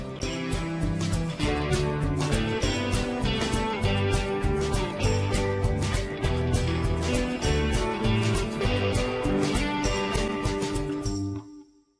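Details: Strummed guitar music with a steady beat plays throughout, fading out at the end, with no animal voice.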